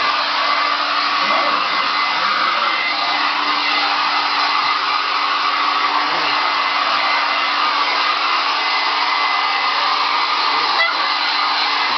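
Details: A hair dryer roars steadily for the whole twelve seconds, with no animal sound heard.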